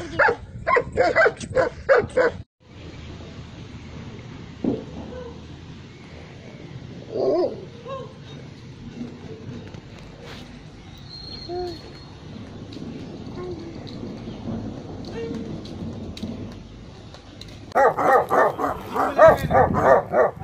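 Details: Dogs barking at a kennel in Khanna, Punjab, India, which keeps Tibetan Mastiffs and Gaddi dogs: rapid bursts of deep, loud barks open and close the recording, with a quieter stretch of distant yips and background noise between.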